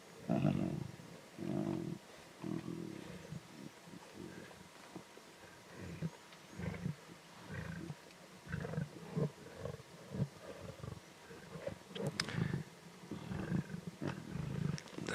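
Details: Young lions of a pride at an adult zebra carcass in the Timbavati, growling and snarling in competition over food; a long run of low, throaty growl bursts, some louder, some fading, with scattered snaps and rustling.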